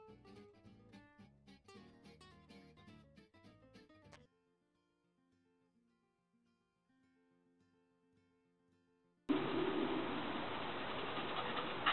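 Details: Plucked acoustic guitar music fades to near silence, then a loud, steady rushing noise begins, with no animal voice.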